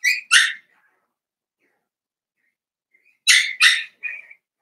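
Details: Four-week-old Cavalier King Charles Spaniel puppies, Daisy's litter, in their pen: two quick high yelps open the clip, then after a silent stretch a second burst of two sharp yelps trailing into a thinner whine.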